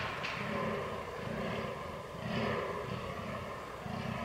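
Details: Fallow deer rut recorded 22.10.2022 with a Canon R6: a short run of deep, hoarse groans swelling and fading in slow pulses against a low rumbling background.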